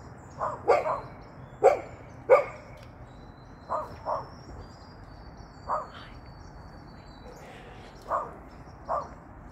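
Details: Golden Retriever hopping about, letting out loose, scattered barks, a few louder doubled yaps early, then softer single woofs at uneven gaps, with faint high bird chirps in the background.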